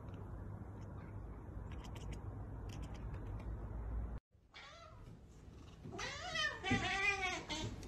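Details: Domestic cat chattering at a bird or insect it cannot reach: quick wavering, warbled chirps in the second half, loud and rapid, following a quieter stretch of faint clicks and background hum.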